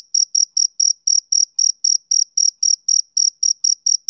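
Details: Male cricket giving a regular run of shrill, high chirps, roughly four per second, each pulse short and clean against silence.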